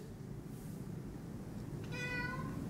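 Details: Big Maine Coon cat at Halloween, making a single clear harmonic meow that starts with a brief click and slides gently downward over about half a second, over low indoor hum.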